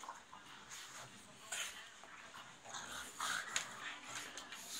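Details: Pugs play-fighting, with irregular rasping snorts and short grunting bursts, a few sharper yips, and quieter panting between the scuffles.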